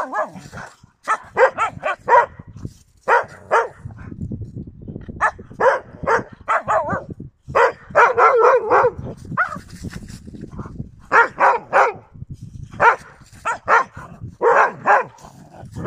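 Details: Yakutian Laika, January 2022: bursts of rapid high yelping barks in clusters of three to five, repeated throughout with brief gaps, over low background rumble.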